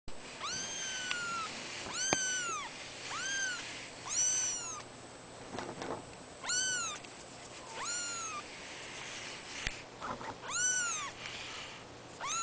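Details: Cattery cats, born 03/12/2011, giving high, thin meows that rise and fall in arcs. They repeat irregularly about every two seconds over a steady hiss, with occasional knocks and shuffling.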